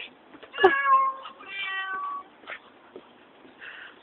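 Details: Talking pet cat producing a run of meows: a sharp onset, a long wavering mew, then a second stretched call and softer short chirps near the end; a faint tap is heard early.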